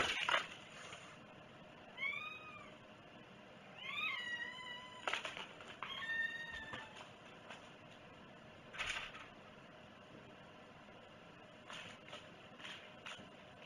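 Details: Domestic cat at breakfast, 11 August 2018, meowing four times about every two seconds with arched, wavering calls. Sharp clicks and household clatter sound between them.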